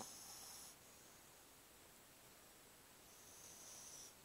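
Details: Sleeping pug Qianqian, snoring indoors. A brief airy, wheezing snore opens the clip, a near-silent pause follows, and a second hissing breath rises toward the end.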